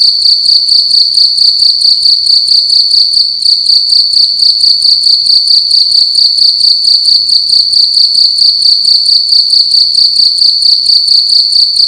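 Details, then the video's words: Nighttime cricket in a room keeps up a loud, piercing trill of fast regular pulses, with one brief dip in intensity early on before resuming unchanged. "Cricket making loud sounds at night in a room"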